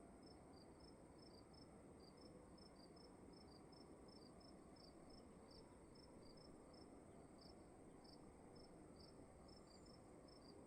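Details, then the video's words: Room crickets at night give a continuous run of short, bright chirps in quick succession, two voices interleaving at close pitches, with a soft broadband hum underneath. "Sound of emptiness and crickets in the room"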